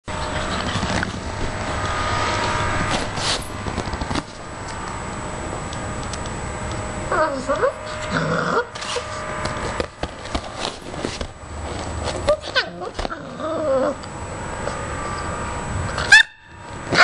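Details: A playful 7-week-old male Rottweiler puppy gives short, rough growls that rise and fall as he runs off with a slipper. Background noise and some voices are heard.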